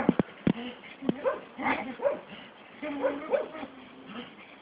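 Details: Staffordshire Bull Terrier on a walk gives wavering, whining vocalisations in short, uneven bursts, broken by a few sharp clicks and knocks.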